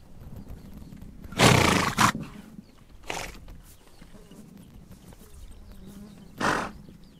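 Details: Steppe horses in Mongolia: a long rasping double burst, then a shorter one, and a final sharp blast after a pause, with faint low rumbling underneath.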